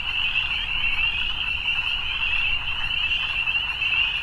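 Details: Massed frogs on an evening, their high-pitched trilling merging into a constant, gently wavering drone with no breaks.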